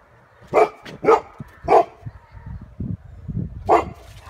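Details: Golden Retriever barking at a balloon while protecting the family at home: four sharp, loud barks, three close together in the first two seconds and a fourth after a pause, with quieter low huffs and rustling between them.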